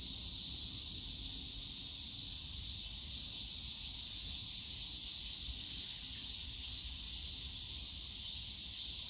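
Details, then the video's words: Cicadas singing in a park bamboo grove at Yongsan Family Park in summer: an even, shimmering high-pitched drone for the whole stretch, with a slight swell midway and distant low city noise underneath. "용산가족공원 대나무숲 매미소리"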